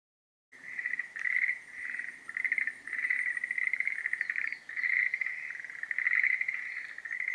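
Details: Schlegel's green tree frogs in breeding season: after a brief silence, a dense chorus of rattling, pulsed trilling calls begins. The calls overlap almost without a break, swelling and fading in bursts about every second, with a faint high whine above.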